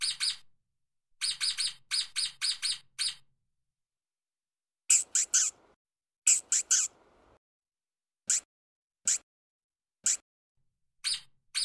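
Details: While running fast on the ground, a stoat makes fine, high-pitched chirps, first in rapid groups, then harsher bursts over scrabbling sounds, followed by single well-spaced chirps.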